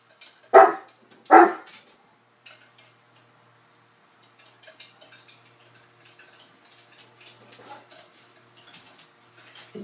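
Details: Playing with a cocker spaniel, a Newfoundland scene opens with two sharp, loud barks in quick succession, followed by quiet shuffling and soft rustling noises.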